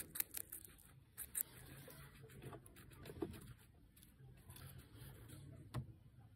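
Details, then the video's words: Guinea pig Pancake eating capsicum indoors, with a steady run of crisp crunching clicks and sharp bites scattered irregularly through a quiet small room, a few louder snaps standing out. "Guinea pig Pancake’s capsicum Mukbang 기니피그 피망 먹방"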